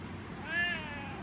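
A Siamese cat gives one drawn-out, rising-then-falling meow, asking for a treat.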